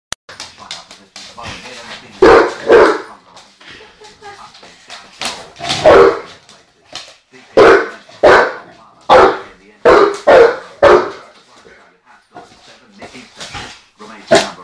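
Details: Young dog, about 12 months old, unhappy with someone sweeping and barking at the broom: loud, sharp barks in short bursts of one to three, scattered across the clip, with quieter indoor sounds and voices between them.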